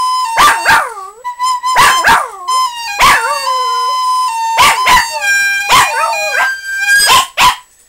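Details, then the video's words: Scottish terrier named Scotty barking at a flute being played indoors: sharp bursts of barks come in pairs between steady flute notes, with wavering, drooping howl-like whines sliding down between the notes. "scottie barking at a flut"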